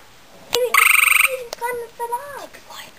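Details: One short, rapid pulsed trill from a male gray tree frog calling to a female, followed by human voices talking.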